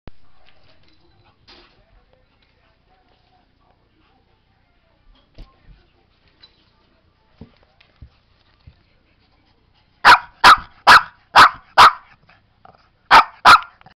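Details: Beyoncé, a Shih Tzu going mad, gives a quick run of five sharp barks after about ten seconds of near silence with faint clicks, then two more barks close together near the end.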